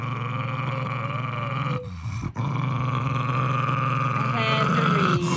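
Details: A Jack Russell Terrier named Henry protects his plush monkey with a continuous deep, buzzing growl that pauses briefly near the middle. A person's voice rises over the end.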